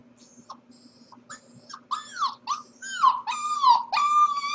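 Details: Corgi pup alone in the house while the family is at work, giving faint squeaks that build into loud, drawn-out whines sliding downward, roughly two per second, growing more insistent toward the end.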